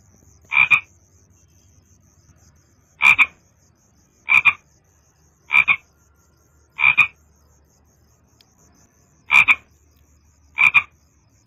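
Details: Frog giving brief rasping croaks at uneven intervals of one to two seconds, with a longer gap before the last few; quiet low hum in the background.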